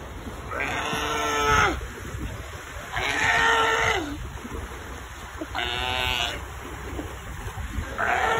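Seals give drawn-out, bleating wails, each about a second long, repeated every couple of seconds.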